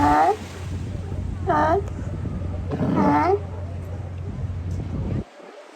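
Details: Sea lions lounging on Kiddie Beach in Oxnard, California, with three separate harsh, harmonic barks about one and a half seconds apart, each short and slightly falling, over a steady low hum.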